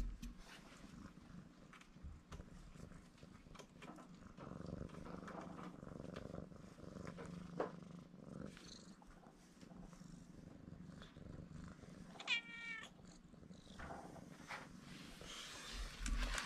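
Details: Tuxedo kitten, a stray taken in for rescue, purring simply at being approached: an even, deep rumble holding for the whole stretch, a quick burst of high chirpy mews midway, and soft rustling and handling sounds.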